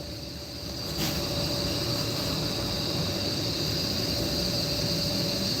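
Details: Crickets heard in the mountains during a live broadcast, a steady high-pitched ringing drone held throughout, partly masked by heavy low rumbling hiss and a brief crackle near the first second.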